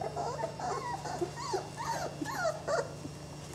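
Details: A few brief squeaks and arched whimpers from young Saluki puppies, 20 days old, tumbling together quickly over a steady low hum.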